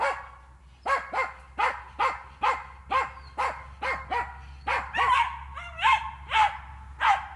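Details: Jagd terrier working wild boar in an enclosure during training, barking repeatedly at a brisk pace, roughly two barks per second, with a few higher, whining yelps mixed in toward the end.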